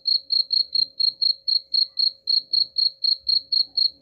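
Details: Cricket chirping, offered as a sound to drive away rats: a steady train of high, clear pulses about four per second, each short and evenly spaced, over a faint steady low hum.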